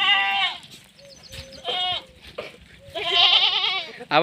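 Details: Female Sirohi goat, goat farm in Rajasthan, India: three loud nasal bleats, a short falling one, a brief middle cry and a longer quavering call, separated by quiet gaps with faint background murmur.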